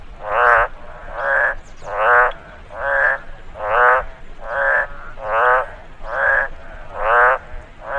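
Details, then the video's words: Following rainfall in a rice field, a frog repeats about ten loud, raspy croaks, each swelling and fading, spaced evenly some eight-tenths of a second apart. "Frog noise after rainfall in the rice field"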